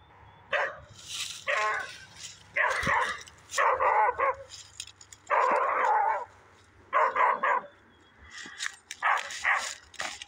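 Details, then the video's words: Dog barking in the woods: a string of short, rough barks, some in quick doubles or triples, spaced irregularly over ten seconds with brief quiet gaps between. "dog barking in the woods"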